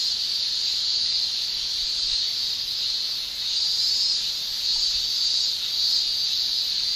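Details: Male cicadas in a Japanese summer, singing with their tymbals: a dense, unbroken shrilling chorus, high and hissing, swelling and dipping gently in loudness every few seconds with no pauses.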